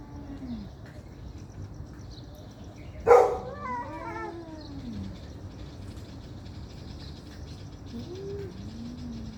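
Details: Angry domestic cats fighting: a sharp spitting burst, then drawn-out wavering yowls rising and falling in arched harmonic wails, with a faint low moan returning near the end over steady background hum.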